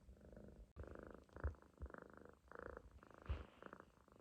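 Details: Sleeping Munchkin kitten loafed on its owner's stomach snores in short rasping breath pulses, roughly two per second in groups, soft and low, with a faint click near the start.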